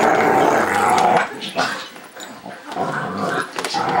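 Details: Pet dog wearing a cone after cutting an artery in its foot, allowed to play with another dog for the first time in eight days; rough, noisy growls and scuffling throughout, with a brief tonal whine near the start.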